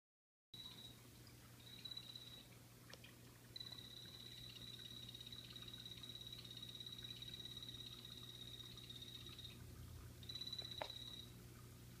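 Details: Pet blue-bellied poison frogs calling inside a planted glass vivarium: long, high, buzzy pulsed trills on a steady pitch, several short bursts and then one sustained trill lasting about six seconds, over a low steady hum.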